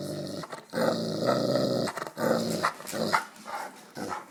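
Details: Black Russian Terrier, a big dog giving rides, growls on command: a sustained low, rough rumble broken into several long bursts with short pauses, heard close up.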